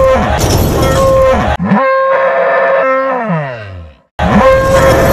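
A cow gives a long, rich bellow that holds steady, then slides down into a low groan.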